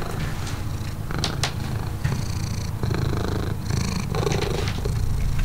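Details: Neighbour's domestic cat purring, excited and happy to see a familiar person; a steady low rumbling purr runs throughout, broken by a few brief rustling and scraping noises.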